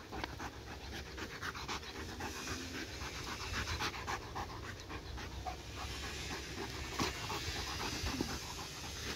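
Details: Domestic dog obsessed with a laser pointer pants steadily and fast, rough breathy strokes repeating nearly four times a second for several seconds, faint room noise behind.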